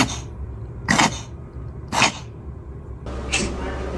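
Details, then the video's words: A cat sneezing over and over: four short, sharp, hissing bursts spaced roughly a second apart, each a quick breathy blast, over a steady low background hum. "Try Not To Laugh At These Cats Sneezing"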